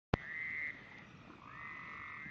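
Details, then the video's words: Frogs singing: steady overlapping trills form a continuous high band with a lower band joining midway, opened by a sharp click. "frogs singing"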